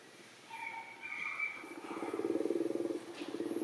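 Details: Baby macaque Anya in Siem Reap Province, crying in a tantrum for milk because her mother will not nurse her. The cries are thin and whining, with a few drawn-out tonal wails early on. A pulsing low engine-like rumble follows.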